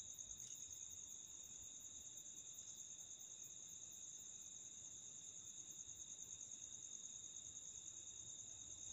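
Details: A dune cricket, a rare species found only in the Thar Desert on the India–Pakistan border, which lives in burrows 1–2 feet deep in sand dunes, gives a steady, high-pitched, continuous trill that never pauses.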